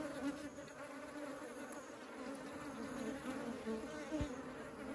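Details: Bees hauling honey into the hive: a full, steady buzzing hum of numerous insects, slightly wavering in pitch, with a soft knock toward the end.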